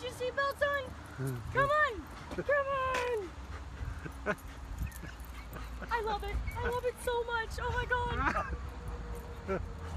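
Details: Four Golden Retrievers in a car at a tire shop in Plaistow, New Hampshire, give high, wavering whines and yelps, rising and falling in bursts, while a woman talks and laughs over them.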